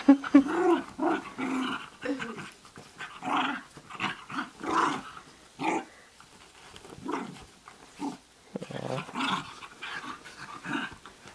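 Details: Basenji at play indoors, giving short growly, grumbling vocal bursts repeated about every second, some rising into brief yelping whines, with quieter pauses between.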